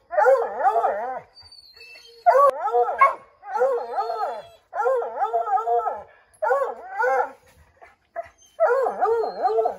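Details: Redbone Coonhounds, a pack of five dogs named Bo, Luke, Lulu, Cooter and Jesse, treeing a chipmunk in an oak tree; long wavering howled bays in bursts of about a second, rising and falling, several voices overlapping with short pauses between.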